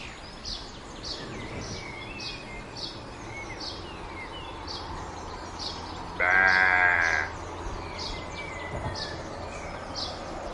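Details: One sheep bleat lasting about a second, a quavering nasal call, arrives midway through a stretch of soft outdoor ambience. Light bird chirps and twitters sound before and after.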